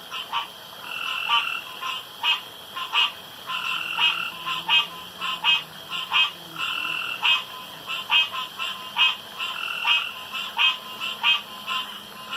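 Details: Male frogs calling around a pond at night, competing to croak loudest and longest; a dense chorus of short, repeated bursts with a two-toned ringing quality, several overlapping callers pulsing roughly every half second, faint low hum beneath.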